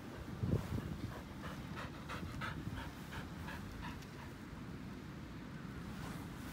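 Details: Elderly white Samoyed Pasepon on the grass breathes in fast, soft pants for the first half, then fades into low rumbling background noise; a brief low thump near the start.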